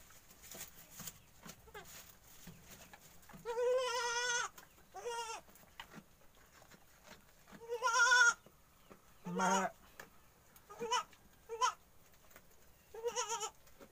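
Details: Newborn goat kids, one day old, learning to stand on dry bedding beside their horned mother; several wavering, harmonic bleats come in bursts, some long and quavering, others short and sharp, with light rustling between them.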